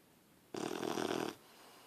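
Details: Sleeping puppy Harley lying on someone, giving a single raspy snore under a second long, a broad rough breath with a steady low hum at its centre, then quiet.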